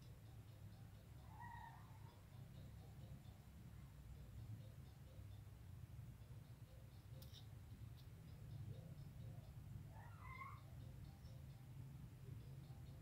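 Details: A white kitten that seems to want a black male cat to invite it to play gives two short, faint, rising-and-falling meows, one near the start and one near the end, over a steady low rumbling hum.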